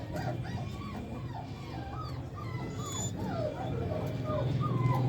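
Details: Puppies kept for sale at a dog dealer in India give a steady stream of short, high whimpers and yelps, each rising then falling, several per second, over a constant low mechanical hum.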